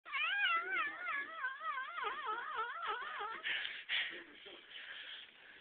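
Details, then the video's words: Cat yodeling: a long, warbling vocalisation whose pitch wobbles up and down rapidly, like a rapid vibrato, for about three seconds, then fading into breathy, rougher sounds and quiet background. "Cat Yodeling"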